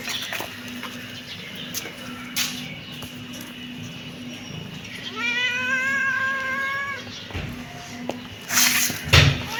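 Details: Kitten with one long, wavering meow that holds a level pitch before dipping, set among rustles, a steady low hum and a burst of handling noise at the close.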